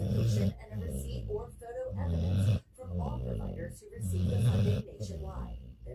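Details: Sleeping pet dog snoring at New Year, deep rumbling low snores rising and falling in slow cycles about every two seconds, with a faint hiss between breaths.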